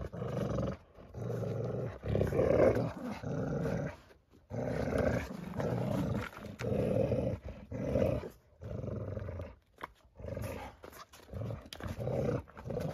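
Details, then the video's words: Dog growling and grumbling while playing with a pup, in repeated rough low bursts of one to two seconds separated by short pauses, roughly one per second. "Dagmar Plays With the Pup"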